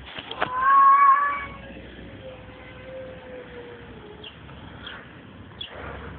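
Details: Strange noises from a tomcat: a loud burst opens the sound, then a long, steady tone slowly sinks in pitch over about three seconds. Faint clicks follow against background rumble.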